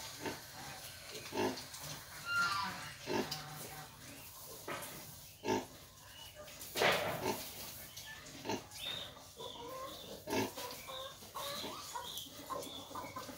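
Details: Crossbred wild boar nursing piglets: irregular short grunts every second or so, with scattered thin high squeaks and a few louder snorts over a soft background hum.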